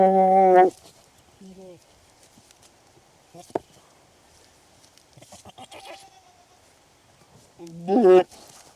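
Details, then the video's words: Male and female goats calling during their mating ritual in the breeding season: a loud, harmonic, wavering bleat opens, short quieter bleats follow, then another strong quavering bleat near the end, with faint rustles in the gaps. "Goats Mating Sound Effect"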